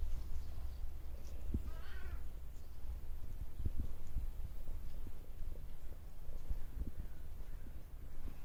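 A Bengal cat gives one short, wavering meow against a steady low rumble.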